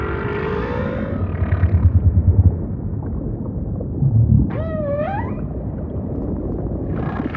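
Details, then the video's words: Humpback whale song over ocean ambience: a rising tonal moan at the start, then a loud harmonic whoop that bends up and down several times, all above a steady deep underwater rumble. "Majestic Whale Song · beautiful humpback & ocean ambience"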